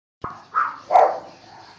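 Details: Neapolitan Mastiff male puppy, seven weeks old, giving three short, yelping barks in quick succession, the last one lower and fuller, then a quiet background.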